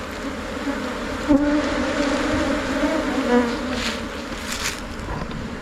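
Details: Thai Asian honey bees swarm and enter a new hive box around noon. A thick, steady wing hum plays throughout, with short rising whines as single bees pass near and a few soft clicks.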